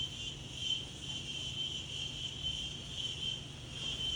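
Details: Daytime insects singing in a breezy natural setting, their bright, shrill ringing steady and dominant with slight pulsing in loudness, and only a faint low wind murmur beneath.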